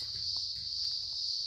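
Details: Noisy crickets by a house sustain a continuous thin, piercing trill at steady loudness throughout, with quiet low rumbling and a few faint clicks beneath.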